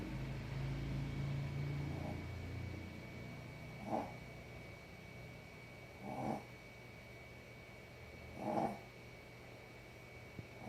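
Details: Dog asleep and snoring, with a low droning hum in the first few seconds, then three rough, airy snore bursts spaced roughly two seconds apart against quiet background hiss.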